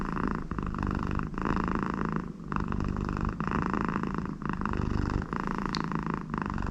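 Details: American Shorthair cat named Connie, very content with her owner beside her, purring steadily indoors in a low continuous rumble, broken by short breaths about every second, with a nasal snore-like tone mixed in.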